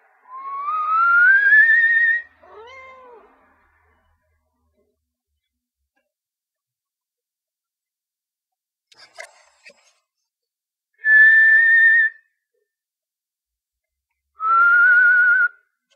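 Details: Rocky, a pet cat disturbed while trying to sleep, answers a rising human whistle with a short grumbling meow. Later, two more steady whistled tones sound, separated by long quiet gaps.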